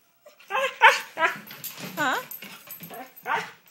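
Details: Domestic dog fussing and 'talking' back, giving several warbling, rising-and-falling whines and moans at short intervals as a woman repeatedly urges it to say hello and 'I'm ready' to go outside; her speech overlaps throughout.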